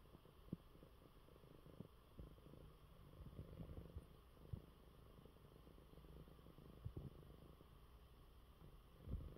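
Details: Coco, a pet cat, purring in his bed after eating well while unwell; a low, steady rumbling purr with soft clicks and brief thumps scattered through it.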